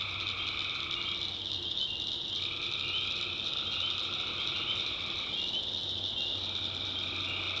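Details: Many tree frogs call at night in a North Carolina swamp: an unbroken high-pitched trill, with bursts of lower two-note calling rising and falling every few seconds over a low droning hum.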